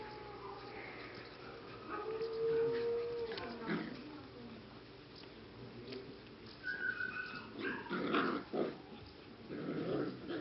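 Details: English cocker spaniel puppies, aged six and seven weeks, at a kennel in the Czech Republic. Indoors, a long steady whine is followed by shorter rising squeals, yips and scuffling, with human voices mixed in.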